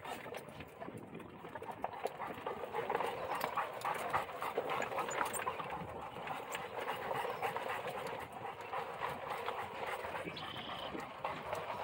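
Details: Central Asian Shepherd dog panting: rapid, steady huffing breaths, more than three a second, forming a continuous breathy rasp that runs through the whole recording.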